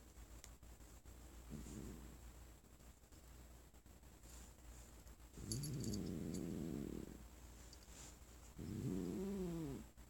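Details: Female house cat Sonora, sitting on her sick owner's lap, growling at being petted after the owner coughed, though she purred before: one faint low rumble, then two longer, louder harmonic growls of about two seconds each, quiet room.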